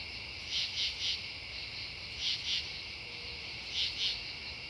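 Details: True katydids calling at night at Devonwood Conservation Area on September 10, 2015: raspy pulsed bursts in groups of two or three, repeated about every one and a half seconds over a steady insect chorus hiss.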